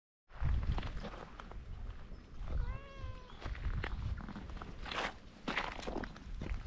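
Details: Feral cat on a Japanese cat island gives one short harmonic meow, slightly rising then level, amid rustling, footsteps and outdoor background noise.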